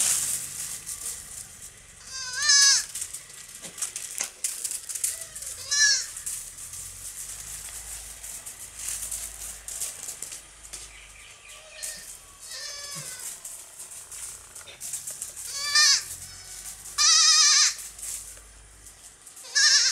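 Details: Young goats at play on a farm bleat loudly about six times, each cry a shaky, quavering bleat a few seconds apart, over rattling, scuffling noise from their jumping.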